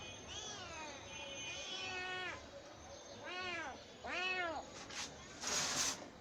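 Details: Domestic cat giving drawn-out, arched meows, a long wavering one followed by two shorter rising-falling calls, then rustling and handling noise.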